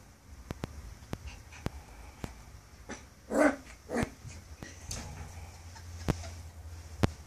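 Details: Toby, a nine-week-old Maltese x poodle puppy, reacting to his own reflection in a mirror, apparently for the first time; two short, harsh barks in the middle of the clip, with faint clicks and a low room hum around them.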